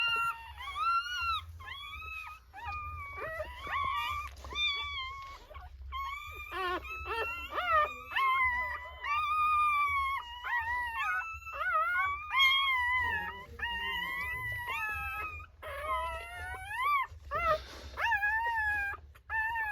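Newborn Rottweiler puppies give high, thin squealing cries that rise and fall, overlapping in a near-continuous chorus. Short gaps and a few softer whimpers break up the wailing.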